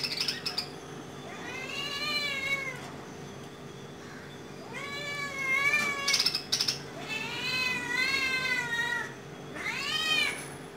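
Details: Cat hunting a small bird calls in a series of four drawn-out, wavering meows, each about a second long and spaced roughly two to three seconds apart, with brief rustles and clicks between them.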